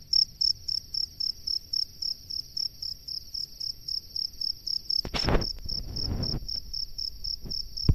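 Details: Male cricket calling females from its burrow, repeating quick high chirps roughly four times a second; around the midpoint a loud rustle or bump and scraping noises briefly mask the chirping before it continues faintly.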